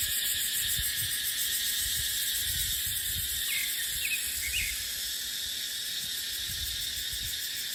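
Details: In a dipterocarp forest during the dry season, cicadas keep up a piercing, even whine, while a few faint chirps from a bird appear midway and wind gusts rumble low underneath.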